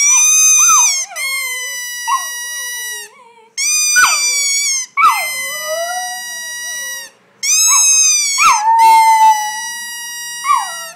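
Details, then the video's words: Border Terrier, a male pet dog, singing along on cue with his owner at home: repeated long, tonal howls with rich harmonics, rising then sliding down and held steady, in bursts separated by short pauses. "Man teaches border terrier to sing!"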